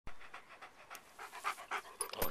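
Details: Beau, a pet dog out on a walk and eating snacks, pants in short soft breathy bursts repeated roughly every quarter second; a few faint bird chirps sound near the end.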